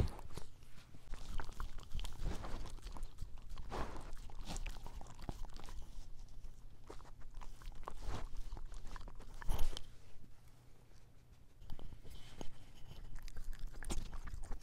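A puppy's close-up mouth sounds: wet crunching and chewing clicks in irregular bursts.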